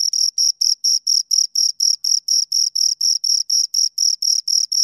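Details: Two crickets chirping close up: a steady series of short, shrill, high-pitched pulses, about four each second, with a fainter higher overtone above each one. No other sounds.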